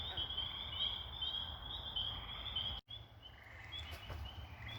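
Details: A night-time chorus of tiny spring peepers at a pond as darkness falls gives high, piercing whistled peeps over a low background rumble.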